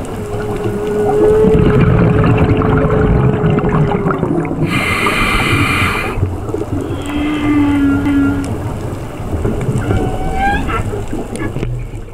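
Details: Whale song recorded underwater during a dive: a long steady moaning tone, a burst of bright harmonic-rich wailing, lower held notes and quick rising whoops near the end, over continuous gurgling water noise.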